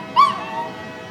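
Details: Pet dog howling as a passing train blows its horn: one short tonal howl that rises sharply, then slowly falls and fades in under a second, over a low steady background hum.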